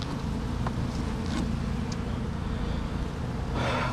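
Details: Bees at a backyard hive during an inspection with the lid open, giving a steady low droning hum with layered buzzing tones, broken by a few brief clicks and rustles from handling the frames.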